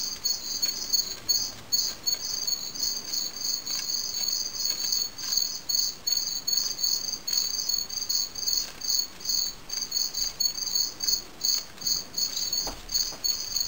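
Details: Fall field cricket (Gryllus pennsylvanicus) during fighting behaviour; steady rapid pulsed chirps, high and bright, about 150 per minute with a second band above, continuous throughout over a faint hiss.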